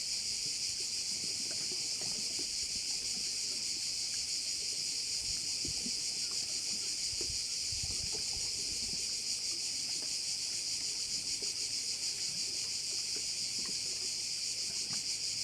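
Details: Overlooking a Korčula bay, a loud crowd of crickets keeps up a continuous high shrill buzz with fast, somewhat irregular pulsing, over soft low rumbling in the background.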